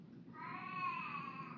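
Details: A 13-year-old female cat, thought to be a bit senile, suddenly lets out a long, drawn-out meow that swells and then holds steady, bursting out for no apparent reason; the owner suspects arthritis.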